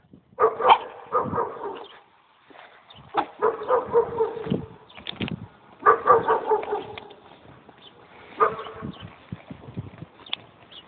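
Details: A pet dog barks in rough, overlapping bursts with a growly, noisy texture, broken by short pauses, over steady background noise.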